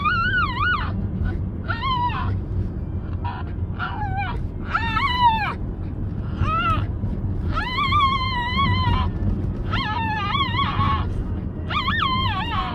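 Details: Puppy Moko's odd vocalisations: a run of warbling, up-and-down whining yelps, each under a second long. They are spaced every second or two, with steady low background rumble throughout.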